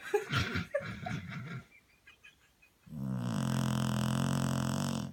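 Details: English Springer Spaniel snuggled up asleep on a sofa after a long walk: uneven rustling and snuffling, a short quiet pause, then a long, low, droning snore lasting about two seconds.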